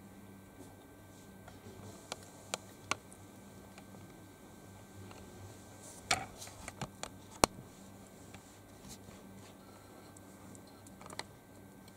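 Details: Scattered clicks and handling noises in a small indoor room over a low steady hum, with no animal calls heard.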